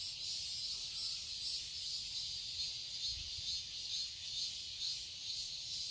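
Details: Cicadas chirping in a summer garden in Seoul, Korea: a steady, dense high-pitched buzzing drone with slight pulsing about twice a second, no other clear sounds.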